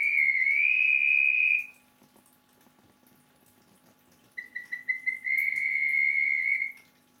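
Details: Rainy-season male Melanophryniscus klappenbachi whistling: a long sustained high tone, a pause of silence, then stuttering pulses that merge into a second long steady whistle.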